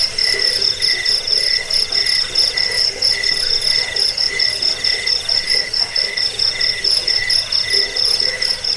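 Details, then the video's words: Crickets played as a rat repellent, sleep aid and tutor for songbirds; rapid pulsed chirps ring in a high band and a lower band together, overlapping into a dense, steady chorus with short rhythmic swells. "Suara jangkik pengusir tikus pengantar tidur"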